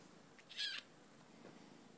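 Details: Twelve-week-old female Bengal kitten, just collected from a breeder in Concord, North Carolina, lets out a single bright, high-pitched squeak lasting about a quarter second, then quiet background hiss.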